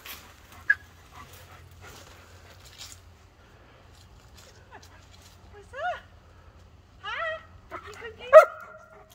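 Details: Pet dogs anxious about their owner whimper and yip in short, high, bent-pitch bursts in the second half, closing with a sharp louder yelp, after near silence with faint thumps.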